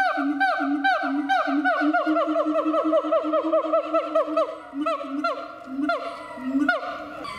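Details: Siamang kept at Chiba Zoological Park, Japan: falling whoops speed up into a rapid run of overlapping notes, then slow to spaced calls over a low drone.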